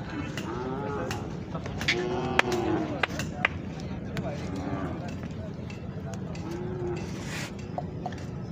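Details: Young Khillar bulls on sale at the Pandharpur Kartiki Vari market. Several short, throaty moos come at irregular intervals through busy market chatter and occasional knocks.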